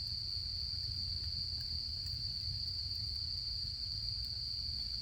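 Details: Steady high trilling of autumn insects in Japan, even and continuous, accompanied by the low, busy crackle of a campfire burning nearby.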